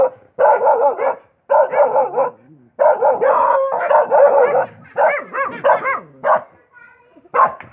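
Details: Dense dog barking in long clustered bursts, mixing rough barks with higher pitched, tonal yelps that rise and fall, followed by scattered single yips near the end.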